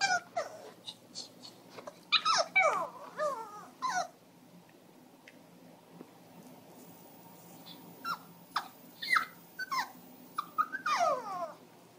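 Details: A female Pomeranian–Shih Tzu mix whines anxiously in high, wavering bursts, worried because her owner has stepped outside.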